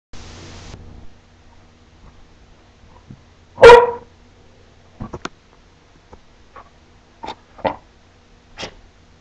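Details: A female puppy barks once on command, speaking for a treat: a single short, sharp bark in the middle, surrounded by quiet with a few faint clicks and rustles.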